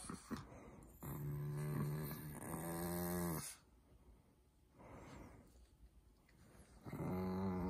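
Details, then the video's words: Pet Chihuahua at home, one of a long-haired and short-haired sibling pair, during affectionate play with its owner: low, voiced, growl-like moans in a sustained bout of about two and a half seconds, a quieter rumbling pause, then another moan at the end. "치와와 애교"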